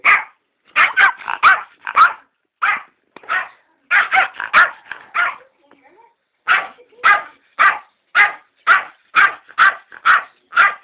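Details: A Yorkshire Terrier guarding a box of sweets and letting no one near gives sharp, high, yappy barks in quick bursts, about two each second.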